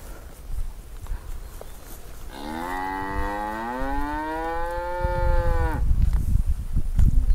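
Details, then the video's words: Angry cow trapped in an irrigation ditch in a grass field: one long harmonic moo of about three and a half seconds, rising slightly then holding steady before breaking off, with low rumbling background noise. "Sapi NGAMUK Terjebak Dalam Saluran Irigasi - Suara Sapi Lembu Di Ladang Rumput"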